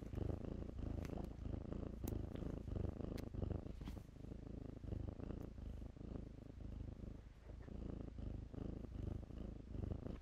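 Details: Deep continuous purring from kittens at play among blankets. The rumbling throbs in even low pulses under scattered soft scratches and taps.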